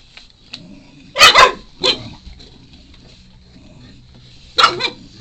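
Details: A 4-month-old Shar Pei puppy gives short, sharp barks and yips, insistently asking for a chew.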